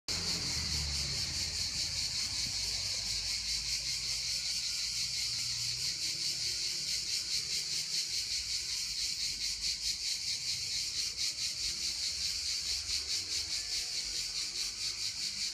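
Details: Cicadas sing a dense, shrill, continuous buzz with a fast pulsing throb at 1 a.m. on 22 July 2015.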